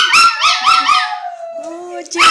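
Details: Pet Chihuahua singing along with its owner, quick yodelling howls warbling up and down, then a long steady held tone with the next howl starting at the end.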